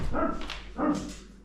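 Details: Dog barking at a hunting camp in North Dakota during an evening trivia game, two short gruff barks about 0.7 seconds apart, with people's voices nearby.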